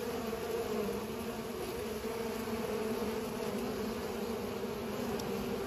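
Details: Buzzing of bees while pollinating: a dense, even drone of deep humming tones that never breaks.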